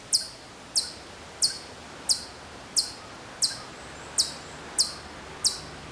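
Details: Hokkaido chipmunk some way off on Maruyama, Sapporo, in September 2014, repeating a short, piercing high chip nine times, evenly spaced, against faint ambient hiss.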